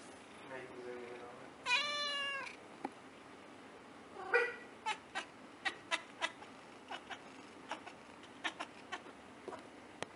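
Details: Siamese cat giving a long, drawn-out, strongly harmonic meow indoors near the two-second mark, then a shorter meow, followed by a run of sharp clicks or taps at intervals.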